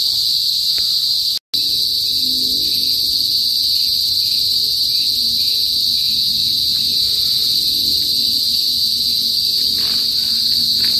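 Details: Cicadas (kuliglig) in a province in the northern Philippines: a loud, steady, high electric drone with bright overtones holds without pause, broken only by a brief dropout near the start, with faint low rustling below.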